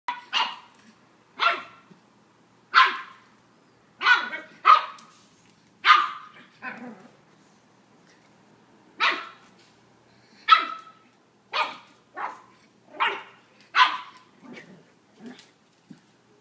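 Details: Charlie, a 10-week-old black pug puppy, meeting a mirror for the first time and barking at his own reflection: short, sharp, yappy barks in uneven bursts, about a dozen over sixteen seconds, with quiet gaps between them.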